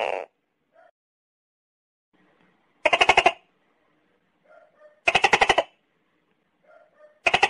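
A tokay gecko gives loud, harsh, rapidly pulsed bursts about every two seconds, with soft clucking notes between them.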